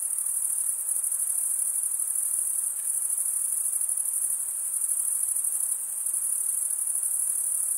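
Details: Chirping crickets, mostly males, producing sound with the stridulatory organ on each wing. A high, even, pulsing trill runs nonstop across the whole stretch, with faint low hiss beneath.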